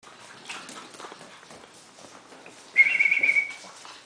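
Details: Pug named Ronny on his first day moving into a new home, joining dogs Jenny and Dyablo indoors; a single high, steady, nasal whine of under a second rises out of quiet rustling near the end.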